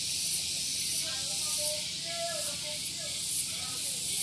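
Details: Morning cicada chorus at Gunung Geulis in Bogor, West Java, beside a parking area: an unbroken shrill hissing drone with light pulsing, and soft whistled notes in the background.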